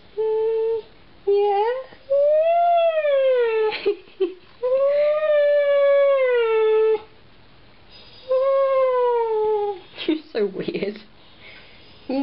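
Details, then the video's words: Diesel, a pet husky, indoors having a conversation about going upstairs: long, smooth, wavering howl-like vocal notes that rise and fall, several drawn-out phrases separated by pauses, with short yips near the end. "Diesel husky: Talking"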